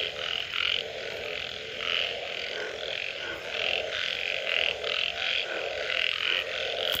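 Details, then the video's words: Post-rain frog calls: rhythmic, buzzy croaks come in waves about once a second, several frogs overlapping, over a constant low drone of more distant callers. "Unbelievable Frog Sounds after Rain"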